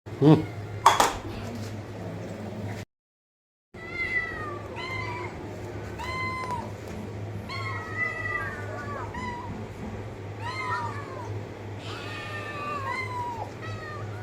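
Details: Domestic cat or kittens meowing repeatedly, many short arched and rising-falling mews in quick succession after a loud burst and a brief silent gap, over a steady low electrical hum.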